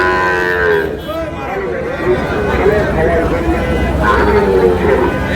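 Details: Sahiwal bull calves at a cattle market in Noakhali, Bangladesh, sold to a farmer; drawn-out, wavering moos with bright harmonics rise and fall over steady crowd chatter and market noise.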